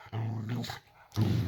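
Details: Layla, a Boxer dog, growling at bedtime in the owners' bedroom while they lie in bed watching a film; a low, rumbling, steady growl in two stretches separated by a brief pause.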